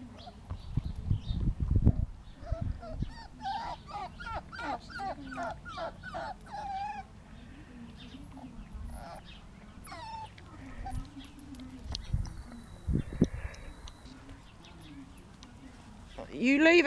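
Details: Two five-week-old puppies, Green and Pink, enjoying freedom after release: a long burst of rapid, high squeaky yelps and whines tumbling over each other, then scattered cries, with rustling and thumps of play.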